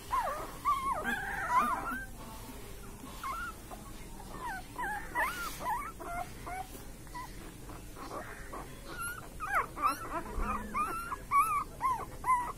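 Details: Several puppies whimpering in their sleep while dreaming: thin, wavering squeaks and short yips come in irregular clusters, louder toward the end, over a low steady room hiss.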